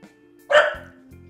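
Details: Dog barking at the window while being trained to stop on a quiet command, a single brief bark followed by a low humming background.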